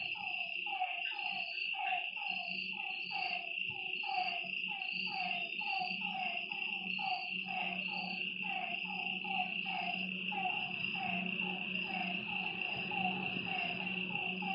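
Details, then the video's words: Lakeside frogs at night keep up a rapid series of short descending croaks that thins out toward the end, set against a continuous ringing insect drone and a low steady hum. "Lakeside night creatures and frog sounds"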